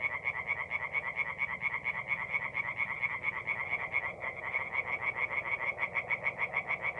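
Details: Tree frogs calling at night from a forest pond in mid-April, north-east Italy: a dense, fast chorus of rapid, evenly pulsed croaks, around two per second, overlapping voices blending into a continuous rattling throb.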